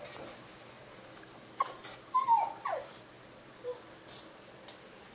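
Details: Male basenji gives short, sliding whines and squeaky yelps in an irregular burst, his usual noise for attention when he wants to play or go outside to pee.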